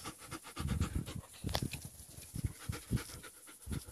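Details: Playing young German Shepherds, low, rough panting in short bursts, several quick breaths per second, pausing and resuming.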